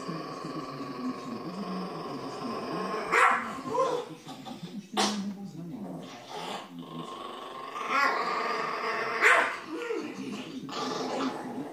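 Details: Chihuahua at home defending the TV remote, growling steadily with sharp bark bursts at irregular intervals, louder around the middle and later, over background music.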